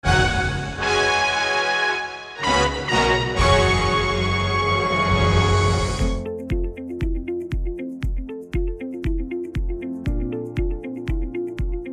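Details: Loud theme music: sustained orchestral chords give way to a regular plucked pattern with sharp percussive ticks, with no horse or other animal heard.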